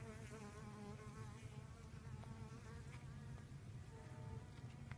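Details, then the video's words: Low, continuous wingbeat drone of honey bees working sorghum flowers for pollination, with layered humming tones that rise and fall slightly as individual bees move close by. "Honey bee pollination in sorghum"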